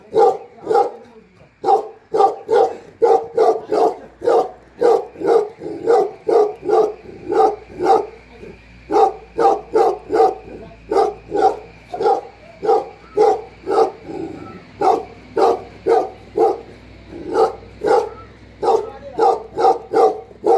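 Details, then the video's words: Tibetan Mastiff known in Nepal as Bhote Kukur, a herding guard dog protecting home and farm, barking continuously for twenty seconds with deep, evenly spaced woofs, about two per second, over a faint steady hum. "घर र फार्ममा मालिक नहुदाको रक्षक || गोठालो भोटे कुकुर || Bhote Kukur || Tibetan Mastiff In Nepal"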